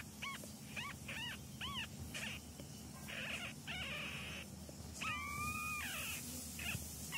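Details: Kitten during a training session indoors, giving a series of short, high, arched mews, some drawn out and wavering, over a steady low hum and faint background noise.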